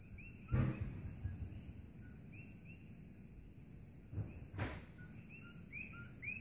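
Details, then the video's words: Coqui frogs chirping loudly at night at Holualoa on the Kona Coast of Big Island, Hawaii, with the lights of Kailua-Kona in view. Faint two-note rising chirps repeat through a steady high whine, low rumbling background and two dull thumps. "Coqui Frogs Chirping Noise"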